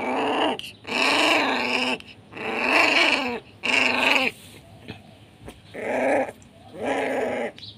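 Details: Pit Bull puppy of SHERA bloodline, an aggressive youngster at Nanu pitbull farm. It gives five long, rough, strained barks with a growling edge, spaced about one to one and a half seconds apart, plus a faint click between them.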